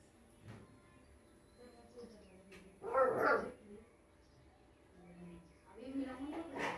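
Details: Rottweiler puppy indoors giving a short burst of yappy barking around the third second, with soft whimpers and faint noises before and after and a few quieter yelps near the end.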